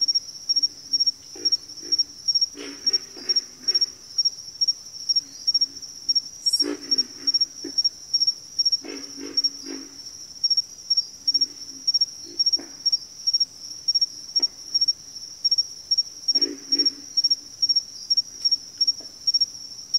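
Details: Frog chorus from a backwater: low, rough grunting croaks in short clustered bursts, scattered through twenty seconds beneath a loud, steady high-pitched insect trill that pulses on and off throughout.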